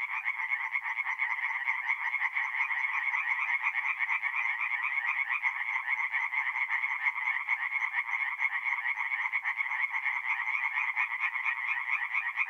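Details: Night chorus of singing tree frogs at a forest pond in North-East Italy, mid-April: many overlapping quick, nasal croaks merge into a continuous high, throbbing buzz, roughly two beats per second, unbroken throughout.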